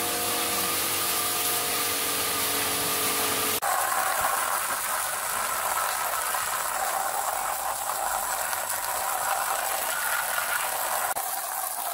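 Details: Loud, steady mechanical rattling and grinding like a ratchet or engine, with a few steady tones at first and a sharp shift in the noise near the start, with no animal voice heard.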